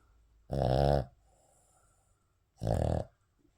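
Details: Shih Tzu dog snoring indoors while trying to get some peace and quiet. There are two loud, buzzy, rasping snores, each about half a second long and about two seconds apart, with near silence between them.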